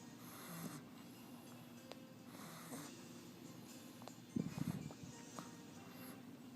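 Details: Ms Mollie, a pet dog, snoring while asleep indoors in a small room: soft, quiet breathy rasps return roughly every two seconds, with a louder snort near the end.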